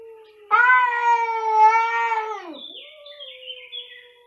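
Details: Two cats meowing very loudly: a sudden, loud, sustained, steady yowl lasting about two seconds that bends downward at its end, followed by softer thin whining tones.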